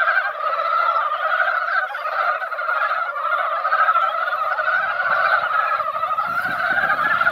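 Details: Chorus of many mountain frogs assembled in a mountain pond after light rain, a seasonal din of overlapping quick croaks forming a constant rolling wall of sound, with soft low rustling near the end.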